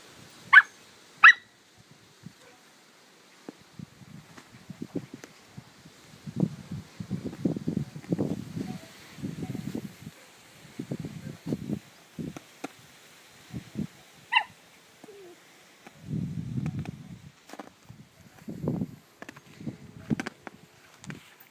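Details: Two Samoyeds, mother and daughter named Darma and Aissy, playing together: bursts of low rumbling growls come in irregular spells, with a couple of sharp high yelps near the start and another around fourteen seconds.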